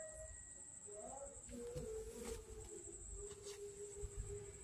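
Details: Street kittens in Banyuwangi, Indonesia, hungry at lunchtime feeding: several short tonal meows, then a longer flat drawn-out cry, over constant high insect buzzing and faint low background rumble.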